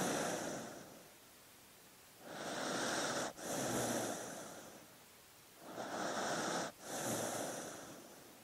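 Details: A sleeping dog breathes in slow, even cycles, about every three to four seconds. Each breath is a soft, hissing rush with a brief break in the middle, set against near silence.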